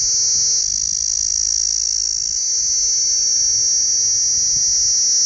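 A cicada's high, steady, shrill buzz runs on without a break.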